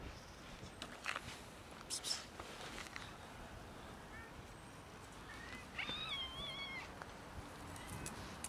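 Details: Three hungry male cats in the heat season; after scattered clicks and rustles, a wavering, rising-then-falling meow sounds near the six-second mark, with fainter mewing traces around it.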